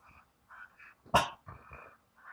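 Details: French Bulldog at home giving one sharp, loud bark near the middle, set among softer, nasal whining or grumbling sounds before and after, in a quiet room.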